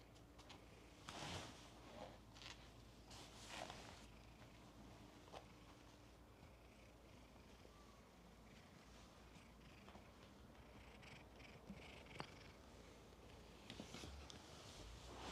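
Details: Black cat waiting in a guest room at Shoraku Ryokan, a cat inn with ten resident cats, purring softly as a steady low rumble under indoor room noise, with scattered rustles and soft knocks.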